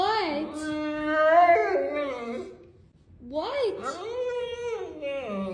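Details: A 120 lb female Neapolitan Mastiff vocalizing indoors, two drawn-out, talking-style moans with many harmonics. Each one rises and then slides down in pitch, separated by a brief pause.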